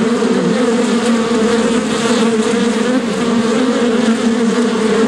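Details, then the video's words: A bee's buzz, a constant low drone layered with rougher overtones, steady in volume and pitch throughout five seconds of unbroken humming. "What does bee sound like? (Bee Buzzing)"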